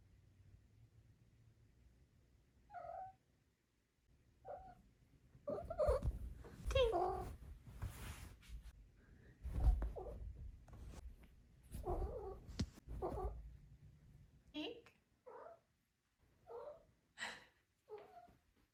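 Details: Four-month-old female Maine Coon kitten making little trills and chirps: brief, bright, upward-flicking chirps scattered through the recording, with a stretch of rustling and thumping handling noise in the middle.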